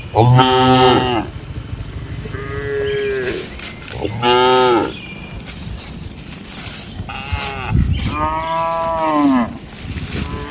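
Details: Cattle lowing at night in a village shed. A series of harmonic moos of varied length and loudness, some short and bright, others long and wavering, come from several animals, with a low background rumble.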